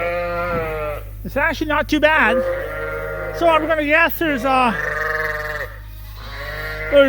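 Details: Mixed groups of Suffolk lambs loose together in a barn, giving wavering, quavering bleats one after another, some long and steady, others short and shaky, over a constant low mechanical hum.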